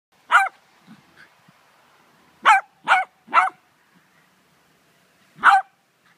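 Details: Poodle playing with a Dogo puppy: four short, sharp yapping barks, one alone, then three close together, and a last one after a pause, with faint soft grunts between.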